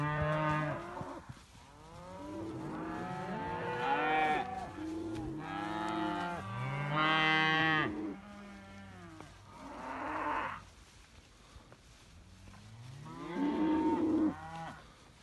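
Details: Simmental heifers and young bulls kept together and jumping on each other, mooing: a series of overlapping harmonic moos, rising and falling, with quieter gaps and a louder nasal call near the end.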